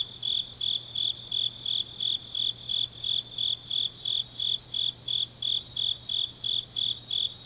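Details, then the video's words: Deep autumn night in Changnyeong, South Gyeongsang, Korea, with grass insects chirping in a shrill, regular pulse close to three beats per second throughout, backed by a faint low hum. "깊은밤 가을 풀벌레 소리"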